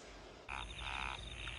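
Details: Frogs croak at night in a steady, rasping chorus of pulsed calls among terraced rice fields at Yufuin, Oita, Kyushu, Japan; a still, windless night.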